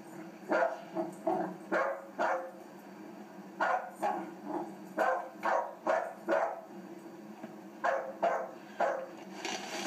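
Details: A three-month-old puppy plays, giving short, bright yipping barks in irregular bursts, often two or three close together with brief pauses between, over a quiet indoor background.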